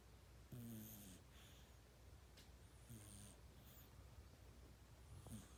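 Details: Sleeping kitten snoring like a person, with short low rasping snores near 0.5, 3 and 5.5 seconds separated by quiet breathing, over a steady low background hum.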